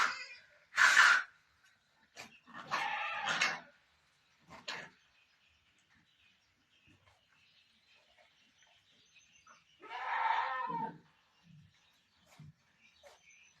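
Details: Farm-kept Barbari goat in Sultanpur during delivery: three harsh, strained bleats spaced several seconds apart, with quiet shuffling and small thumps between them.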